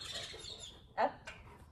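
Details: Pet dog giving a single short bark on the command "speak" during trick training, a sharp clipped yap followed by a faint second sound, amid a handler's spoken commands and praise indoors.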